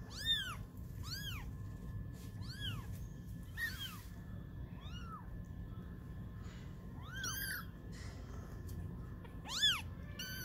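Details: Twenty-day-old kittens playing and learning to walk give a string of high, arching meows, each rising then falling, about nine calls spread across ten seconds with short gaps, over a steady low background hum.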